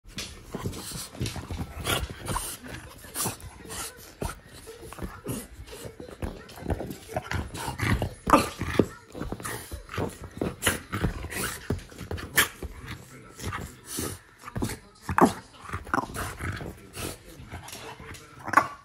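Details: A male French bulldog whines and whimpers in short, nasal bursts, wanting to be close to his owner and asking to be let up onto the sofa, refusing to accept no.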